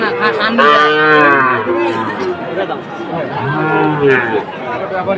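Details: {'text': 'Cattle at a market in Chattogram, Bangladesh, 7 September 2024, where a farmer buys a Sahiwal breed bull; two drawn-out, harmonic moos, the first about a second and a half long, over steady crowd chatter.'}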